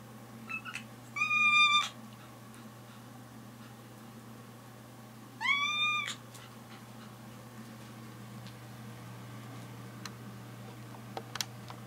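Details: Kitten asking for a toy: two drawn-out, rising-then-level meows about four seconds apart, rich in overtones, with faint ticks and a steady indoor hum.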